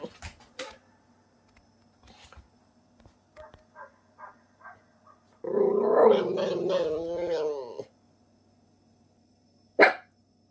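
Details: A Miniature Pinscher indoors, nervous at a big dog barking outside the house, gives a rough, rumbling growl lasting a couple of seconds, with faint barks beforehand.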